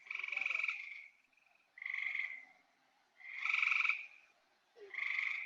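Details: Two gray treefrogs in Maine, each in a different tree, call back and forth to each other, giving musical, rapidly pulsed trills about a second long; this call is heard in late summer.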